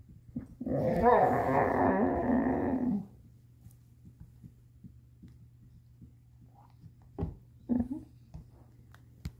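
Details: Chaco, a female Labrador-Coonhound mix, trying to get her ball out: a rough, buzzy growling grumble of about two and a half seconds, followed by quiet with a few scattered knocks and taps.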